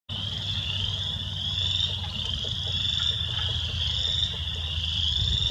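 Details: A dense spring peeper chorus in spring in southeast Wisconsin, countless high, piercing peeps blending into a steady shrill ring over a low rumble, with a woodpecker pecking; spring peeper.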